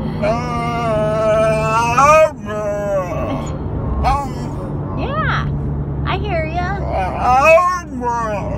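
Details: Alaskan Malamute, a four-month-old female, making funny noises: a long wavering woo-woo howl for two seconds, then shorter rising-and-falling yowls, over steady low engine rumble.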